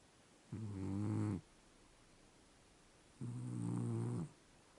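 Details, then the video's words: Sleeping Scottish Fold cat snoring indoors: two low, harmonic-rich rasping snores, each under a second long, about three seconds apart, with quiet room hiss between them. "смешной кот храпит и сладко спит"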